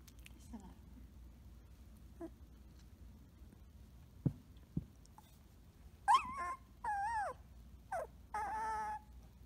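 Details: Samoyed puppy Blue Boy, Rose X Rider litter, playing: after quiet faint sounds and two clicks, a wavering rising roo, then two held level awooo tones with short yelps between, at moderate loudness.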